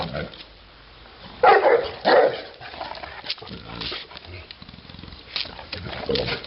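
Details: Neapolitan Mastiff giving two loud, rough barks about half a second apart, with a person talking quietly in the background before and after.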